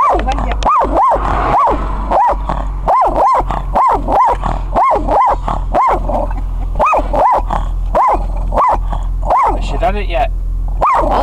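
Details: Shih Tzu having a go at highland cows, firing off a long run of sharp, high-pitched yaps roughly every half second, with people talking briefly in between.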